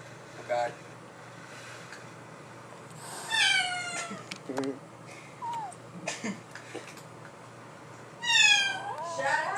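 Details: Domestic cats indoors, a black-and-white mother cat and her black offspring just returned home after living elsewhere, the mother acting hostile; two drawn-out, wavering yowls with stacked harmonics, plus short squeaky meows, amid a person's frequent exclamations.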